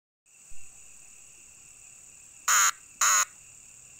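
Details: Cicada giving a steady, high, thin buzzing whine that holds at an even pitch throughout, broken by three short, loud, harsh bursts near the end.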